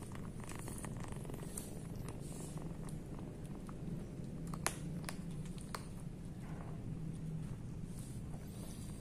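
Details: Hungry abandoned kitten purring, a steady low rumble that runs unbroken through the whole stretch, with scattered soft clicks and crackles on top, recorded close in a quiet indoor space.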